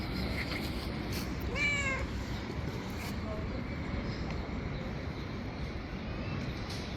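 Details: One of a group of very hungry street cats utters a short, rising-then-falling meow with bright harmonics, followed by a faint second mew. Constant low urban background noise.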